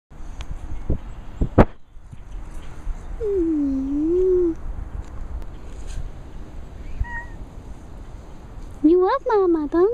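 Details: A pet cat meowing: one soft, wavering, drawn-out meow in the middle, then a louder, brighter meow with rising and falling inflections near the end, over low background rumble and a few sharp knocks early on.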